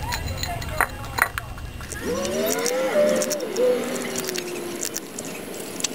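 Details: Cat meowing before it gets food, a single long drawn-out meow of about three seconds that rises, wavers and trails off, with faint clinks and low indoor hum around it.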